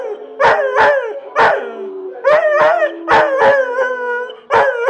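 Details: ['Domestic dog howling along with other dogs heard from a played clip. Repeated short yipping bursts roughly every half second to second over lower sustained howled tones, with several voices overlapping.']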